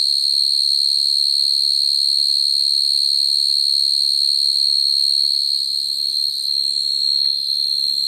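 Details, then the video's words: Field cricket singing at night to call females, a sound used to lure crickets into traps: a sustained piercing trill at a fixed high pitch with a quieter overtone above, a slight dip in loudness late on, and faint low background noise. "Tiếng dế mèn kêu, dế cơm kêu dùng để bẫy dế chuẩn"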